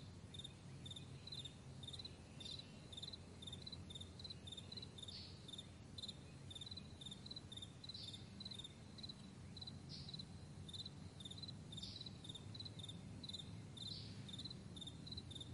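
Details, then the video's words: Crickets on a wide meadow at morning give a continuous run of high pulsed chirps, with sharper chirps every couple of seconds and a steady deep rumble underneath. "Morning Crickets"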